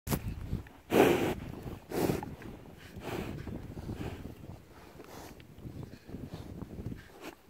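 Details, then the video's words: Curious cows at a pasture approach in the wind to sniff and lick an outstretched hand; loud breathy sniffs and snorts come roughly once a second, the strongest near the start, then softer wet snuffling and licking against a low rural background. "Cow Sniffing And Licking Sound"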